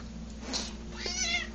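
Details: Indoor house cat in a dim hallway, begging for food although some remains in her bowl, giving one short, bright meow that rises and falls near the end, with soft background hum.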